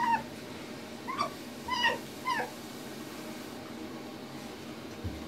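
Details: Tiki, a tame female fox, guards a bathroom soap against anyone coming near. Four short, bent, whining yelps sound over about two seconds above a steady low household hiss, followed by quiet.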